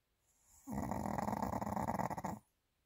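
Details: Pomeranian named Bobbo, sleeping heavily in a favourite lying position: one long, rough, rattling snore of about two seconds, with a fluttering pulse, in a quiet room.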